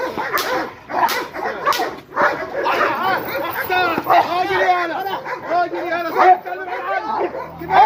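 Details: Rottweiler attacking during guard-dog training, a dog formerly afraid of being approached, gives loud barks and growly yelps as the trainer keeps urging him on with shouted words throughout.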